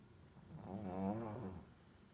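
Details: Boston Terrier named Botan snoring loudly while fast asleep, a single drawn-out rasping breath that swells to a peak and fades over about a second.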